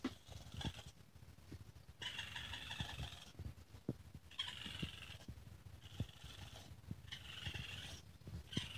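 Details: Baby raccoon calling: a series of drawn-out, harmonic wavering cries, each lasting about a second, repeated four times with short pauses between, over low rumbling handling noise.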